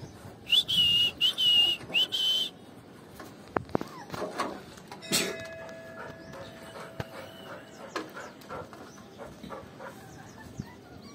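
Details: Labrador Retriever puppies with their mother give a run of thin, high-pitched whines, then faint scuffles and taps.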